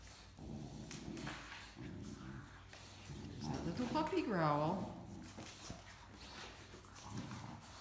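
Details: Great Dane puppy Mikey, a talkative dog, grumbles while playing over a shared stuffed toy with adult Great Dane Ellie indoors; one whiny, harmonic cry slides downward midway, surrounded by a person talking.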